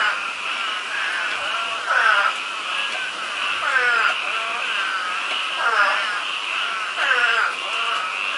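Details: Frogs calling in a yard: loud, grating, warbling croaks in short bursts roughly every one and a half to two seconds, over a steady high-pitched trilling chorus that never stops.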